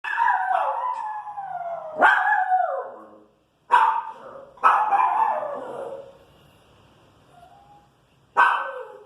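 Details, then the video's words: Pinscher, irritated by noise in the street, giving drawn-out howling barks that slide downward, broken by short gaps, with sharper barks bursting in near the middle and end. "Pinscher irritada com barulho na rua"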